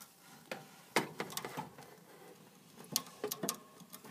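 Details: Hamster noisily eating, giving sharp crunchy clicks and cracks in irregular bursts, with a quieter pause mid-clip before a new run of crackling bites.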